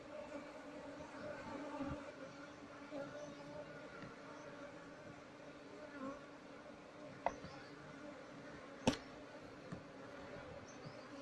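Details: Asian honey bees (Apis cerana), a colony nesting inside an active speaker, are disturbed during honey harvest and relocation with no queen found. A steady low buzzing hum with layered tones runs throughout, with sharp handling clicks near the end.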